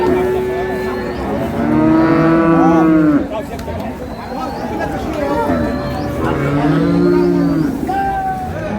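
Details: At Ambari market in Dinajpur, improved-breed milking cows with calves low twice: a prolonged, slightly falling bellow in the first seconds and a shorter second moo near the end, over a background of crowd talk and trading voices.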